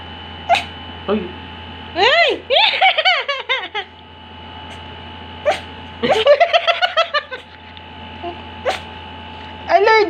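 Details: A cat, thought to be allergic, sneezes several times, each a sharp, sudden burst, with voices talking in the background.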